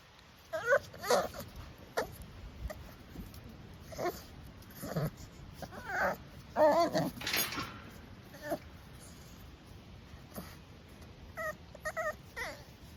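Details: Young blue Staffordshire Bull Terrier puppies squeaking and hiccuping while begging to be held; scattered short whimpers and yelps spread through the stretch, with a rustling burst midway and brief clustered squeaks toward the end.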